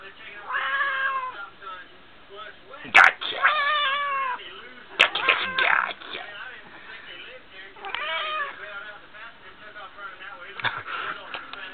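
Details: Female house cat Smokie, chatting with her owner, gives a series of long, bending meows, some rising and falling in pitch, spaced several seconds apart, mixed with a person's voice and a couple of sharp knocks.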